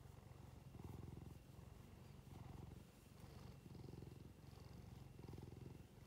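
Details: Cat with watery eyes purring while being stroked, stroking getting vigorous at the end; a low, steady rumbling purr that swells and fades in waves with each breath, about every one and a half seconds.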